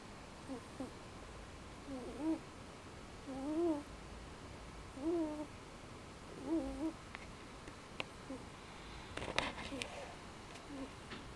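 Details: Domestic male cat sleeping just after dinner, snoring softly: wavering, nasal snore notes about every one and a half seconds, five in a row, over steady low hiss, with a brief rustle near the end.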